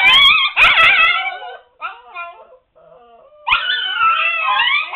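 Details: Seven-week-old Siberian Husky pups shut in their puppy pen, noisily complaining. Loud, rich, wavering howls and whines overlap, stop for about a second, then return as one sustained, quavering howl.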